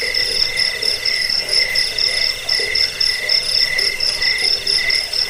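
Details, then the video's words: Crickets recorded as a rat-repelling sleep aid and master track for training songbirds; shrill pulsing trills in two bright layers, one high and one middle, beating unevenly together with a faint lower murmur beneath. "Suara jangkik pengusir tikus pengantar tidur"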